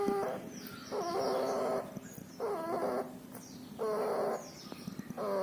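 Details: Puppy sick with pneumonia and distemper, with nasal discharge: rhythmic wheezing, squeaky breaths roughly every second and a half, over a soft background hiss with faint high chirps between breaths.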